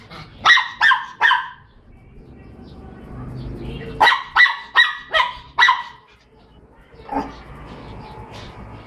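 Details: Noisy Miniature Pinschers give sharp, high barks in quick bursts of three and four.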